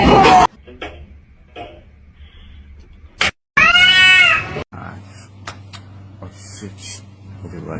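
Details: Domestic cat giving one loud, drawn-out meow that arches up and then falls away, amid short knocks and clicks and quiet room noise.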